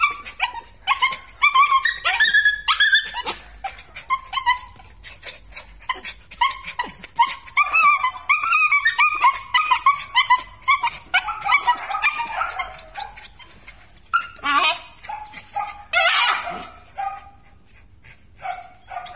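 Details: Belgian Malinois whining insistently in a steady stream of loud, high, quavering yelps and squeals, briefly breaking into rougher, noisier barks before returning to thin whines.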